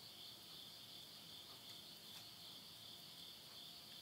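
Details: Midnight insect voices at the end of summer in Yurihama, Tottori, Japan, September 2020. A dense, high, shimmering trill pulses evenly, about three beats a second, with a faint murmur of stove flames.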